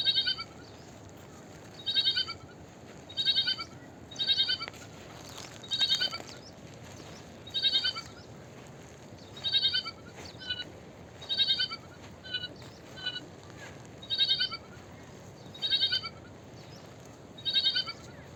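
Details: Sheep. A small sheep gives a steady series of high, quavering bleats, each short and reedy with a slight tremble. The calls come roughly every one to two seconds over a soft background hiss.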